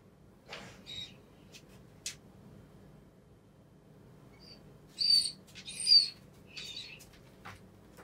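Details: Jake, an F1 retriever, whines anxiously as his owner leaves for the first time after moving house. Mostly quiet, then two or three high, strained whimpers close together near the end, with a few faint clicks and soft knocks.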